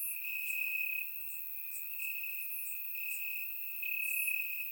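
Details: Grass crickets on a warm summer night in Bulgaria, surround-microphone recording; an unbroken shrill trill, stronger at the start and end, overlaid by sparse faint higher chirps.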